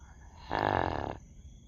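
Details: Dog asleep and snoring: one short, throaty, buzzing snore of under a second rises out of a quiet, humming room.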